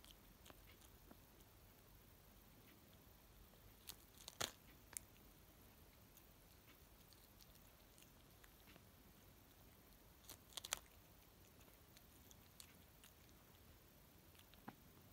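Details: A cat eating greens indoors in a small room: soft, sparse crunching bites, with sharper crisp crunches near four and ten seconds against a quiet background.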